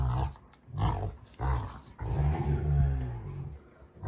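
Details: Two Rottweilers, June and Kenai, play fighting on a ranch: deep, rumbling growls in three bursts, each under a second long, with brief gaps between.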